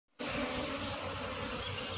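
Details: Dense, steady buzzing hum of an Asian honey bee (cerana) colony in a kept honey-bee hive as the nest is being moved, starting abruptly then holding even and continuous with a bright high hiss above.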